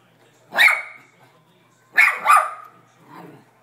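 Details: Pet dog barking at a vacuum cleaner indoors: two sharp, loud barks about a second and a half apart, followed by a softer third yelp; brief household background.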